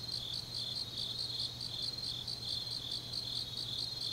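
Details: Grass insects calling late on an autumn night in Changnyeong, South Gyeongsang, South Korea, heard more distantly: several high chirping insects overlap in a loose, uneven chorus above a faint low hum.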